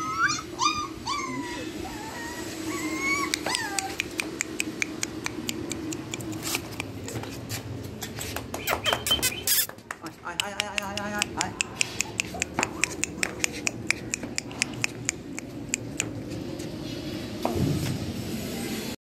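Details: Male short-tailed Labrador Retriever in Sodepur, whining in high, sliding whistled whimpers during the first few seconds, followed by dense rapid clicking and tapping noises and a brief fluttering chirp near the middle.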